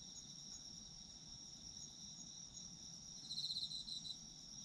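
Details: Autumn insects singing together as a sleep soundscape: a constant high shrill trill, with a short louder bout of quick pulsed chirps toward the end over a low background murmur.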